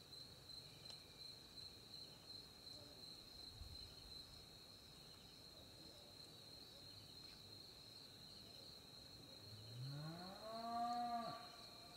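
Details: Crickets chirping at night in the African bush during a barehanded rat hunt through a corn field: a steady, high, unbroken trill fills the background, with a brief rising voiced sound near the end.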